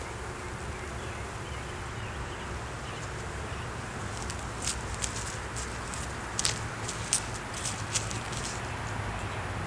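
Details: Honey bees humming as a beekeeper opens a hive in the beeyard for inspection, with a laying queen, honey and capped brood inside, filmed on a Canon Rebel T6 DSLR. A low, steady drone runs throughout, and sharp handling clicks and taps come in the second half.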